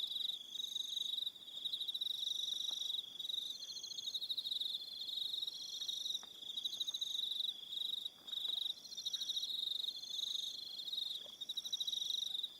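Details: Crickets at evening on Aroha Island in New Zealand give an unbroken, shrill stream of fast pulsed trills in overlapping layers, with one brief gap around eight seconds.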